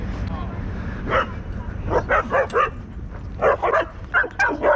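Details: Territorial pit bull attacking a Belgian Malinois at a dog park; rough, clustered bursts of barking and snarling in two flurries, with people shouting and talking throughout.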